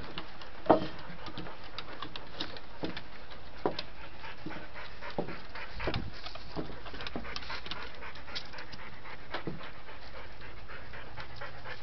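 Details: A dog called Dante pants steadily, rapid soft rasping breaths, as he struggles to get to his toy indoors; occasional sharp knocks and scrapes interrupt the breathing.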